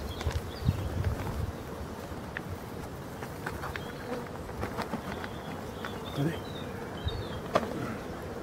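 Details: Honey bees at a hive in Brittany, France, during the last winter feeding on 4 February 2021: a steady, low droning hum runs throughout, broken by handling clicks and knocks, with faint high bird chirps in the background.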